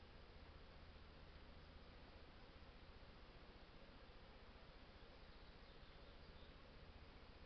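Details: A dense, steady drone of many Western honey bees humming together at hives during an artificial swarm, low and unbroken throughout.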